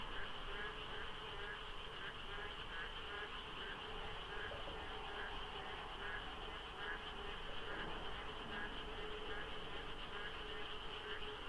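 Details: Frogs calling in the dark at dawn, rainy season, by the Deokso IC highway in light fog with sparse traffic: a thick, unbroken chorus of pulsed, rattling croaks, with a deeper hum and a continuous shrill drone beneath.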